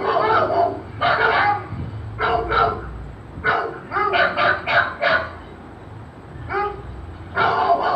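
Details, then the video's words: Barking heard as a golden retriever puppy reacts to a barking sound; clusters of short, harsh barks come in quick runs, with a lull before a final burst, and faint low rumble beneath. "Golden retriever puppy reaction on sound of barking"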